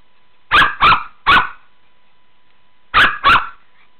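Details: Pet Shih Tzu at play in a pool gives short loud barks, a quick group of three followed after a pause by two more.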